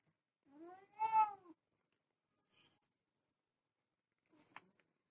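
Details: Domestic cat, Desi or Persian, while mating: one clear, moaning yowl lasting about a second that arches up and down, followed by quiet rustles and a soft click.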